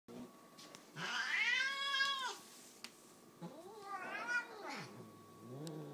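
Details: Female domestic cat screaming while happy: a loud, drawn-out arched wail lasting over a second, then a shorter, softer rising-and-falling cry, with faint clicks between.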